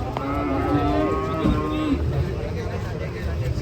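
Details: Cattle lowing in a long, drawn-out moo with stacked harmonics, the pitch sliding slightly downward before it fades; steady background rumble and faint human voices underneath.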